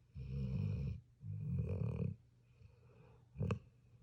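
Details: Sleeping puppy snoring: two long low rattling breaths about a second each, then a short sharp snort near the end, with quiet pauses between.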